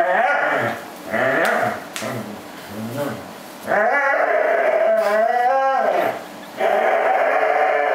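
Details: Pet corgi joyfully gripping and 'killing' a plush fish, vocalizing from pleasure; warbling, undulating whines and groans, with a long wobbling cry in the middle and brief pauses between bouts.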